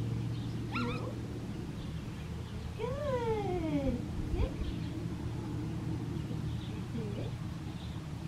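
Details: Female Australian Shepherd puppy, red tri colouring, lets out a few thin whines, one long falling cry in the middle, over a steady low hum and quiet room noise.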